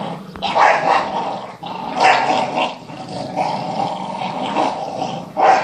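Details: Playful growling from a Staffordshire bull terrier chasing a ball alongside a second Stafford and a Parson terrier. The harsh, rasping growls rise and fall in waves, with sharper bark-like bursts near the start, middle and end.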